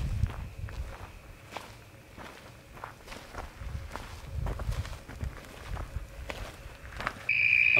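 Footsteps and rustling dominate, with a faint steady tone and a loud electronic beep at the end.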